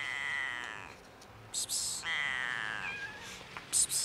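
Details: Hungry, friendly stray cat, large and fluffy, out on a cold winter street; two drawn-out plaintive meows, the second sliding downward, with sharp rustling noises between and after.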